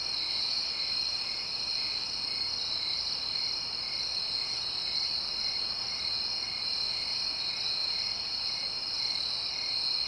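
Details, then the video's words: Crickets calling at night in the suburbs, with quiet distant traffic. An unbroken shrill wall of fast chirps stays level for the whole length, with a slightly stronger swell near the close. "Crickets SFX. Suburbs ambience at night."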